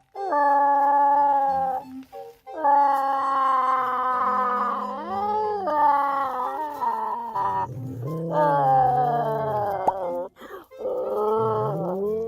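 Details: Jindo dogs and a mixed-breed dog howl in long, wavering tones, joining in as their owner howls alongside them.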